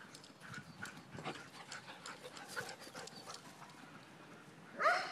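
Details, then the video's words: Dogs playing outdoors on a spring morning, breathy rhythmic panting bursts through the clip, ending in a brief louder whining yelp. "Dogs playing on a spring morning"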